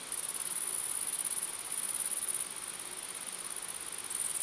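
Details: Grasshoppers calling together at night, a thin shrill buzz in pulsing bursts with short gaps at about one and a half and two and a half seconds, then continuing more softly.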